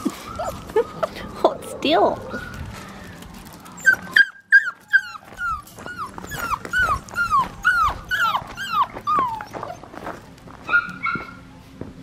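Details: A blue merle Australian Shepherd male puppy gives a run of quick, bent, high whines, roughly two per second. A woman's soft talking and rustling handling sounds are mixed in.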